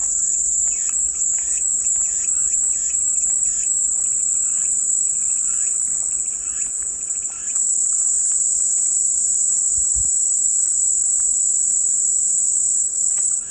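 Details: Cicadas sing a constant high, sizzling drone for relaxing white noise, steady from start to finish, while small birds chirp softly in the first half.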